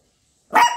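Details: A Lhasa Apso puppy gives a single sharp, high bark after a moment of silence, after playing.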